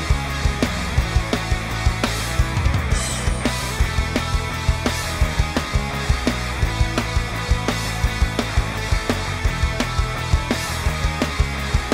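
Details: Driving rock music with a steady, punchy drum beat fills the whole stretch.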